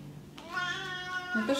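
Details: Oriental Shorthair cat indoors gives a drawn-out harmonic meow lasting about a second, level at first and then sliding upward at the end, while a woman speaks Russian nearby.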